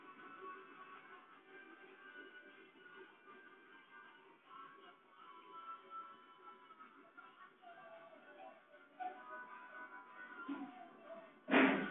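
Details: Steady music with plucked-string tones fills the background indoors, ending in a brief loud burst; no animal voice is heard.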